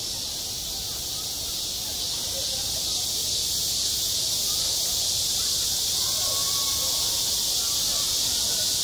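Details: Cicadas in high summer on a school playground: a dense, steady, hissing buzz fills the upper range without pause for the whole stretch. Only faint low murmurs sit underneath.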